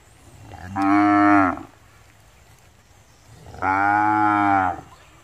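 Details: Two steady, even-pitched moos from a village cow at Rosulpur, each lasting just under a second, separated by a quiet gap of about two seconds over a low background hum.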